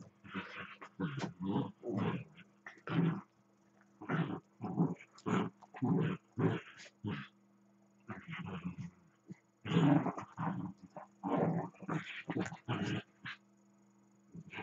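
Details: Dachshund growling and grumbling while playing with another dachshund, one lying down as the other runs about; a long series of short, throaty, rasping growls in uneven bursts, some louder, with a low steady hum behind.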